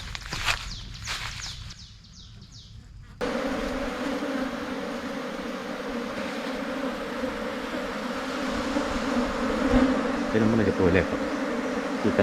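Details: Asian honey bees swarming, splitting from their colony and moving into a new hive box. After a brief stretch of other noise, a dense, steady, droning hum of many bees swells and continues throughout.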